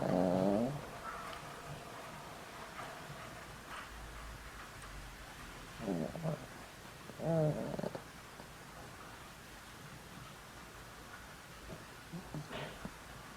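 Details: Boram, a dog over 20 years old with a weak heart and on daily medicine, snores loudly while asleep: wheezy, tonal snores with stacked overtones, one at the start, a pair around six to eight seconds and a faint one near the end.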